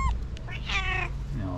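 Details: Loud calico cat meow from a jealous female that will not let other cats near her owner; one drawn-out, wavering, nasal meow after a short squeak, with low background hum and a woman urging her not to bite.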